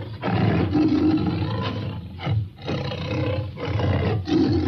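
A tiger gives deep, rumbling roars in long bursts, each broken by a brief pause.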